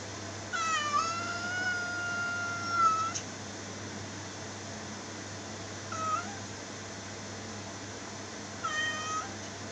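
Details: Domestic cat indoors giving one long drawn-out meow held at a steady pitch for over two seconds, then two short meows several seconds apart, over a low steady hum.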